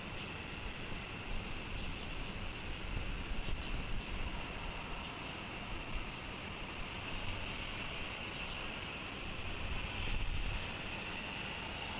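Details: Only steady wind and distant traffic rumble with a constant high hiss; no animal calls are heard.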